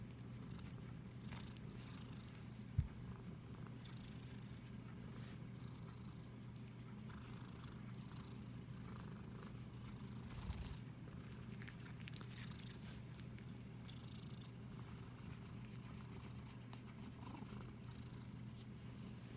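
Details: Domestic cat purring while being stroked indoors, recorded on an iPhone SE: a steady, low, continuous rumble that holds without a break for the whole stretch, with faint rustling of fur and hands above it.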